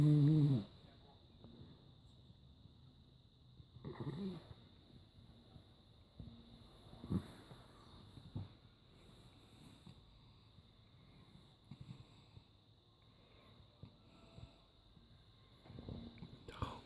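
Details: West Highland White Terrier snoring indoors: soft, low, breathy snores come at uneven intervals of a few seconds over a steady faint background hum, with a louder noise at the start.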